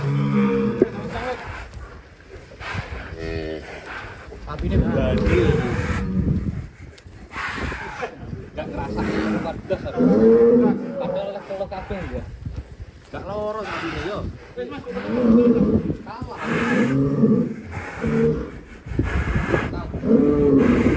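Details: Angry cow getting out of its pen: scattered throaty moos, several short wavering bellows in the second half, mixed with people talking and general commotion throughout.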